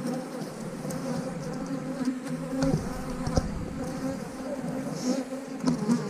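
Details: Honey bees at an 8-frame hive: a steady, low droning hum with layered tones that holds evenly for six seconds, broken only by a few faint clicks and knocks.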